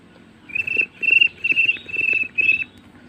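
A cricket gives a run of clear, high, pure-toned chirps, each a fraction of a second long.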